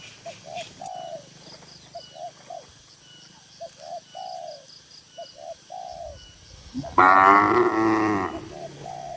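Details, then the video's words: One loud, drawn-out moo from tame cattle in a crowded farm barn comes near the end, after a long run of soft, repeated dove coos. "Moo Moo Suara Sapi Lucu"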